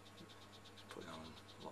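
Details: Frogs call in a rapid series of high, clicking pulses over a steady low hum, in a captive rainforest exhibit at Manchester Museum; they are possibly a small breeding frog species from Panama.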